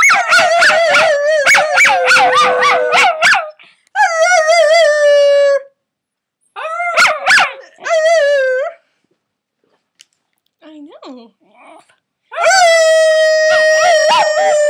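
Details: Young dog howling: a burst of quick wavering yips opening into long descending howls, then pauses and a faint quieter whimper before one more sustained howl that holds steady to the end.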